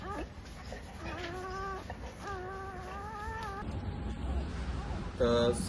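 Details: Labrador Retriever puppies just born in Sinnar, Nashik, Maharashtra; two drawn-out, wavering whines of over a second each, followed by quieter noise and a short sharp squeak near the end.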